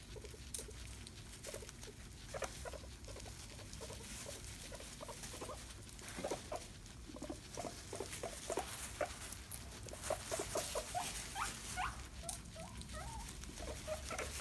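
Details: Pet guinea pigs Mr Jaffas and Baileys squabbling over a banana as one tries to steal it, giving short squeaky chirps in quick irregular runs, mixed with patter and chewing noises throughout.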